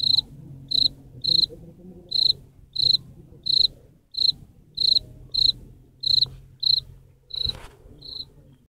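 A cricket sings short, high chirps repeated steadily, about one or two every second.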